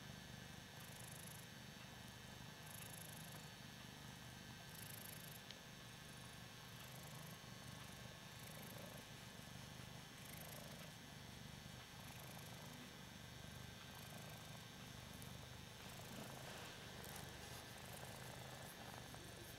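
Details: A male Ragdoll cat purrs steadily while being petted and having his chin scratched: a low, continuous rumble pulsing in a quick, even rhythm.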